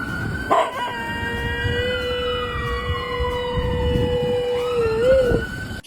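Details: A once-stray pet dog howling along with a passing ambulance siren: one long steady howl held for about four seconds, then a wavering rise and fall, over a loud sliding wail of siren tones.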